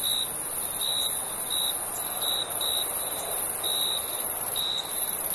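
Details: Crickets chirping at night in summer: short high pulses repeated in an irregular series over a steady, very high shrill insect hiss, with no other clear sounds.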